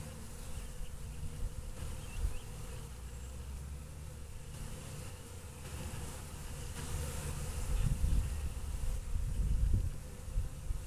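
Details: Honey bees waking up after a long winter hum in a steady, low, droning buzz that swells and fades as many wings beat together.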